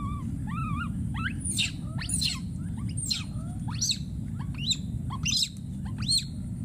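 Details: Wild baby monkey screaming and calling for his friend: repeated high tonal cries, some arched and others sweeping sharply upward, several per second, over steady low rumbling background noise.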